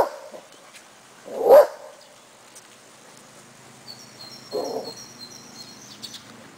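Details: Four-week-old Cardigan Welsh Corgi puppies, outdoors for the first time with their mother in Sweden, give a brief, punchy bark, then a softer one about three seconds later; a small bird's high, thin chirps repeat faintly.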